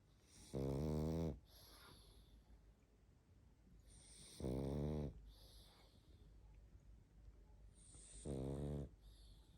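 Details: Drowsy pug Barney snoring in his sleep: three rumbling, buzzy snores recur every three to four seconds, each trailed by a breathy, hissing exhale and gentle sniffling sounds.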